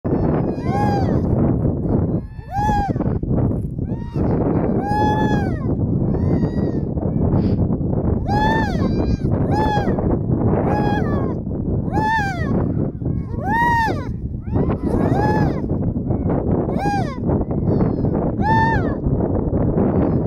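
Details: A harp seal baby filmed at close range in 2019 calls again and again. Its bleating, wavering, arched cries come about every second or two over a steady low rumble of wind or surroundings.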